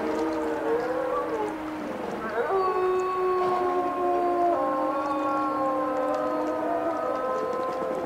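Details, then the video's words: Several wolves howling at once, long held notes at different pitches layered over each other, with some voices sliding upward mid-clip and others holding flat, continuous tones. "Wolf Song"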